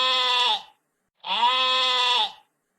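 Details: Sheep bleating twice: a short, wavering, nasal bleat, then after a brief pause a longer, fuller bleat rich in harmonics, both with a slight tremble and a clean, quiet background.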